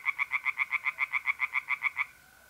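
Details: Night pond in north-east Italy in mid-April: a tree frog gives a quick run of about fifteen loud, evenly spaced rasping notes lasting two seconds, then stops, leaving a faint steady mole cricket trill.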